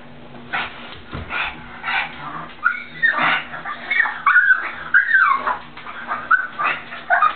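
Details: Pet pug, a male, afraid to cross a slippery, freshly cleaned bathroom floor to reach his toy; faint high whines rising and falling amid a person's voice urging him on.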